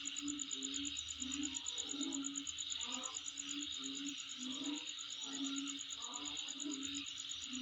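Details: Continuous high-pitched insect trilling with a rapid regular pulse, heard at home, while soft low tones and murmurs rise and fall beneath it.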